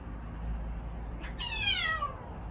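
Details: Single clear meow from pet cat Odeuri as its voice returns after tooth extraction surgery: a brief breathy onset, then a bright tone gliding down, above a steady low background hum.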